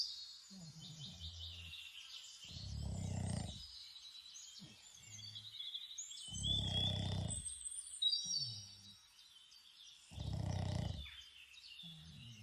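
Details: Boston Terrier snoring outdoors, likely in Ireland, in deep, rasping breaths about every four seconds while birds chirp overhead.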